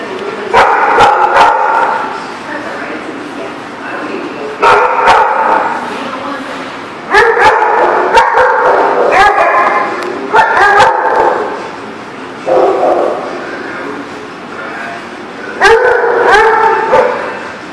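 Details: Dog at The Barking Lot, recorded 16 February 2018, barking in loud bursts of several quick, harsh barks, with bouts repeating every two to three seconds and sharp clicks between them.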